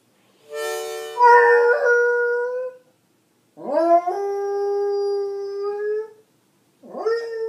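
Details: Beagle howling along with a harmonica: long sustained tonal howls with bright harmonics, the first sliding and wavering, a second rising then holding steady, a third starting at the end, harmonica notes mixed in.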